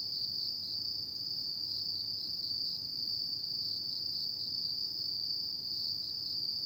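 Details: Night chorus of autumn insects: one continuous shrill, even trill sustained without pause, over a low soft background hiss.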